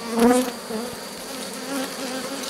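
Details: Honey bees buzzing at an open drone-laying hive being rescued, 3 May 2021. The hive's introduced queen cells were torn open. A brief, rising whine from a nearby bee over a steady hum, with faint knocks of frames.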